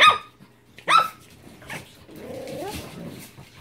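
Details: Japanese Chin puppies giving two sharp high yaps near the start, then a softer low whine or murmur trailing through the rest.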